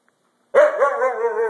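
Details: Siberian Husky pet dog talking after its bath, one sustained wavering whine-howl, steady in pitch with a slight wobble, lasting about a second indoors.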